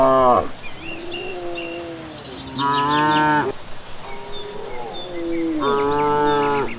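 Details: Herd coming back from grazing at dusk in a village setting, a sequence of four moos, some short and falling, others long and full, with evening birds chirping overhead.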